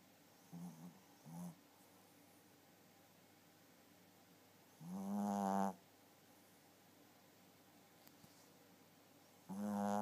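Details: Pet Chihuahua snoring indoors. Low, buzzy, rattling snores come in short bursts: two faint ones near the start, then louder ones roughly every four to five seconds, with quiet breathing pauses between.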